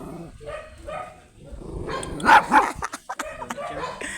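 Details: Angry, matted Shih Tzu during grooming: faint whiny grumbles at first, then a burst of sharp, loud barks and yips halfway through, followed by scattered short clatters and noises.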